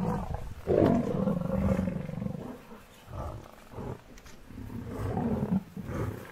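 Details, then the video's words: Hungry wild lions confronting an angry buffalo herd; a loud, deep roar bursts out near the first second, then throaty grunting roars recur through the rest of the recording. "Hungry Lions vs an angry buffalo herd"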